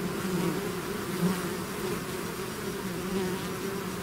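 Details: Natural buzzing of a swarm of bees out of its hive: thick, even droning of many insects, low-pitched and constant, with small surges as single bees pass nearby.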